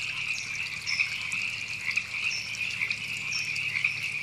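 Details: Chorus of river frogs at Temescal Canyon Park, Los Angeles, California, April 2017, a continuous high-pitched pulsing croak from many callers, with a few louder notes standing out and a soft trickle of stream water behind.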